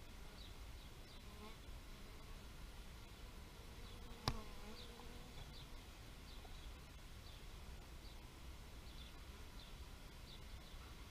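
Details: A passing bee gives a brief, low, humming buzz after a sharp click, amid constant low background rumble and scattered high bird chirps throughout.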